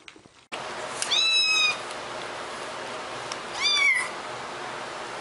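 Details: A cat gives two clear, bright meows about two and a half seconds apart, each rising quickly then curving down, heard over a steady background hiss.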